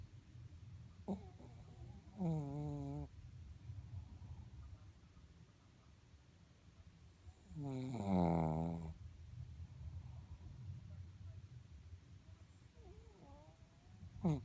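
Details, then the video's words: Mocha the Shih Tzu snoring strangely in sleep: a short nasal snore, then a louder, quavering one about six seconds later, with faint squeaky breaths and a brief snort at the end. "いびきをかくシーズー soring dog Shih Tzu"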